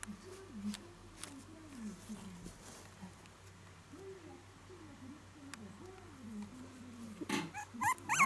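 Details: Shiba Inu puppy, about five days after arrival, whining in a home; a series of wavering, rising-and-falling whimpers repeated quickly at a fairly low pitch, with a few sharp clicks and a louder rustle near the end.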